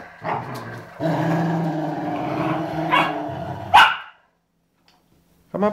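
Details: Two Rottweilers, aged 11 years and 3 months, playing gently together: deep rumbling growls held for about three seconds, a sharp bark-like yelp near the end of the growling, a pause, then a brief yelp.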